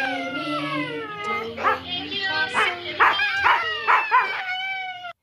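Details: A Siberian husky howls in drawn-out, wavering tones along with a person singing "Do-Re-Mi."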